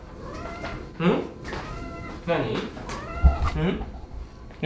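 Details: Pet cat talking back while protesting, indoors: three drawn-out, wavering meows with rising then falling tone, spaced over about four seconds, with low background murmur between them.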